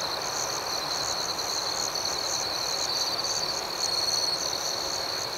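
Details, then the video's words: Crickets chirp at night in a soft, steady, high-pitched pulsing chorus, with no other sounds. "Soothing Cricket Sounds"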